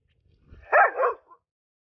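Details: Rough Collie working as a herding dog gives two loud barks in quick succession, each with an arched, harmonic tone, after faint low rumbling. A short, quiet yip trails after them.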